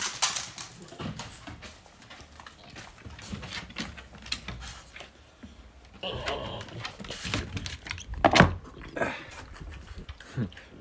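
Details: French Bulldog indoors in a small room making breathy snuffling and snorting noises in irregular bursts, panting between them, with one sharper, louder snort toward the end.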